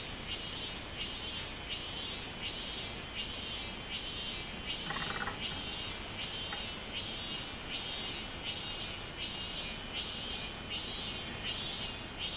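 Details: A robust cicada (minminzemi) sings loud, shrill buzzing pulses repeated steadily, nearly one every second; recorded 24 July 2016.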